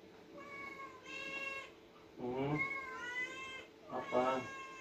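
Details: At feeding, the two cats Oyen, an orange cat, and Putih, a white one, meow insistently; several overlapping, wavering harmonic meows mix with a person's voice speaking to them indoors.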